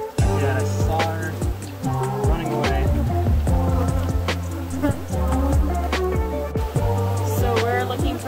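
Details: Loud hip hop music with a heavy bass line and rhythmic beats fills the recording throughout, with no animal sound.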